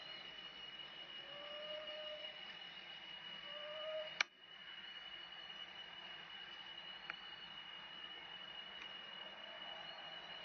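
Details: Baby monkey Eden, living wild around Angkor Wat, cries loudly to call its mother back: a few thin, whistled, tonal notes that rise then fall, over a steady background hum and one sharp click.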